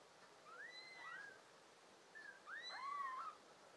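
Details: Five pet kittens of American Shorthair and tabby parentage, June 2022 summer: several thin, high meows with a rising then falling tone, two overlapping near the end, in a quiet background.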